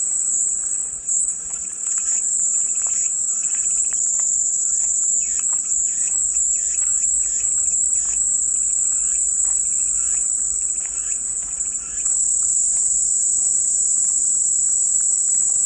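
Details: Cicadas presented as calming white noise: an unbroken, piercing high shrill drone holds steady throughout, with faint scattered bird chirps lower down.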